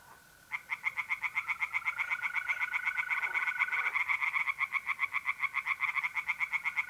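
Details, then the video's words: Pond tree frogs in North-East Italy on a mid-April night: after a half-second pause, dense fast croaking pulses start and run unbroken to the end, about four per second. A continuous mole cricket trill hums beneath them. "relaxing singing tree frogs in pond"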